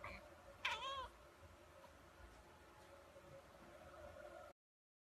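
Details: A kitten in a compilation of playful pet cats gives a single loud meow with layered harmonics, dipping then rising, lasting under half a second, against a steady low hum; the rest is quiet background.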